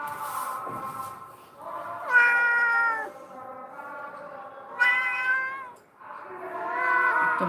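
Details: Rescued abandoned domestic cats at home in Bangladesh; a cat gives long drawn-out meows, several rising then falling wails each lasting about a second, with a woman speaking and background music.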